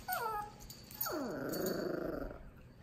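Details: Two dogs meeting, a 2-month-old Miniature Pinscher puppy and a Dachshund aged 1 year 6 months: a short falling whine, then a sustained rough growl lasting over a second, sliding downward at its start.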